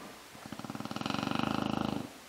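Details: A sleeping Chow Chow dog snoring loudly: one low, rattling snore of about a second and a half, with rapid pulses that build in strength and then stop abruptly.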